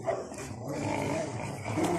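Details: Playful Rottweiler growl while pulling at a tyre in a hobby garden, a brief rough rolling rumble with a harsher rise toward the end; a man calls encouragement.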